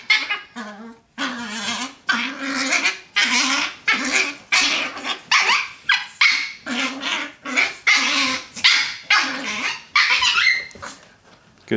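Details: A pair of Chihuahuas, brown and black, play fighting indoors on a bed; continuous sharp, high-pitched barks and growly yaps in a steady rapid series, roughly one per second, with a person egging them on.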